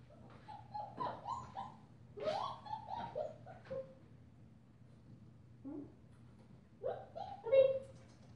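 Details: Five-week-old female German Shepherd puppy wearing a purple collar, sired by Ibon Jipo-Me out of Witch von Wendelin, gives a string of high, sliding whines and yelps in short bursts, pauses, then whines again with a brief sharp peak.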